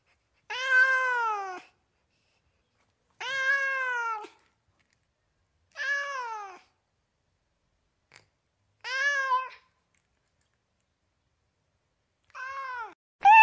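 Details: Domestic cats in California meowing: six drawn-out meows, each about a second long, rich in harmonics and dropping in pitch at the end, spaced two to three seconds apart with silence between, the final one louder and cut short.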